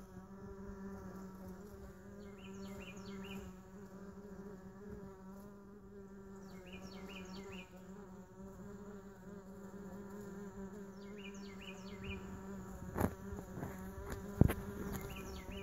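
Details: Mason bees gathered in a lawn mower bagger hum continuously in a low, even drone. Distant birds chirp in small bursts, and two sharp knocks sound near the end.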